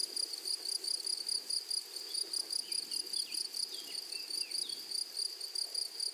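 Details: Grasshopper chorus from a flowery prairie meadow, rapid evenly spaced high-pitched pulses ringing on without pause, with a few faint brief chirps from another creature near the middle.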